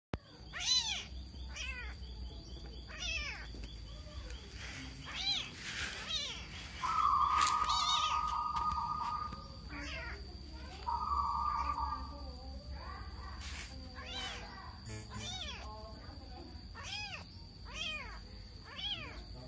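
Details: Kitten meowing while confused and searching for its mother. Rapid, irregular high arching meows fill the recording. Two steady, flat tonal notes sound midway, and a low background hum runs throughout.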